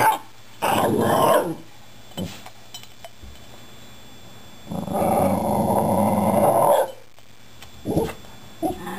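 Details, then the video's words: Patrick, a pet Shiba Inu, "talking" to two cats rescued two months earlier: a long, rough, moaning growl-like vocalization near the start, then a longer sustained grumbling bout in the middle, with a few short yips and light indoor noise. "Patrick - The Shiba Inu - Talking To The Cats"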